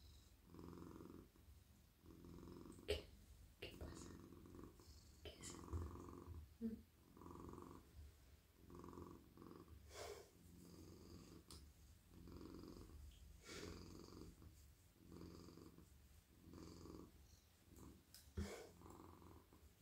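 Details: Friendly, very soft male domestic cat purring in a lap at night while his head, neck and body are stroked; a steady low rumbling purr swells and fades in even breaths about every second, with occasional clicks and rustles from petting.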